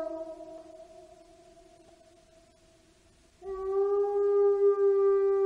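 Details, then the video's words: Wolf howling: a long, steady, low tone that fades slowly, then at about three and a half seconds a louder, slightly higher sustained howl with clear overtones takes over and holds to the end. "Lobo aullando, ruido de lobo"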